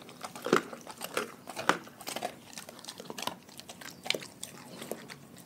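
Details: Dogs from a pack chewing raw food in a small room: steady, uneven bites and crisp crunches about once a second, wet mouth noises in between.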